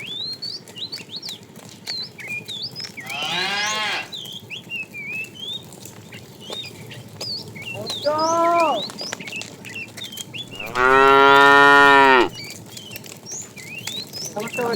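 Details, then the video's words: Tame cattle herded in the afternoon, a fat cow calling the female: three moos spaced apart, the last longest and loudest at about one and a half seconds, among constant bird chirps and whistles. "The funny sound of a fat cow calling the female"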